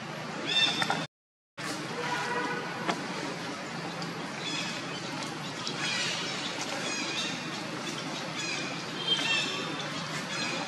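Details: At Angkor Wat Park, the monkey mother Jane and her daughters Janet and Tarzana: shrill, layered squeals rise in bursts near one, six and nine seconds, broken by a brief silent gap, with constant outdoor background hiss.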